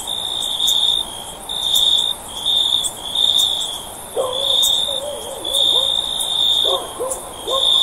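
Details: Cricket trilling, shrill and high, in pulsed bursts lasting roughly a second with short pauses between; midway, faint lower tonal calls from another animal come in softly beneath the insect's continuous chirping.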